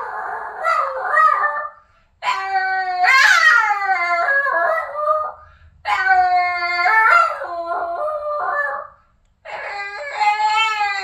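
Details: Singing Boston terrier Boston howls indoors in long drawn-out phrases, yelping and whimpering notes mixed with steady harmonic howls that break and slide downward, four bursts separated by brief silences.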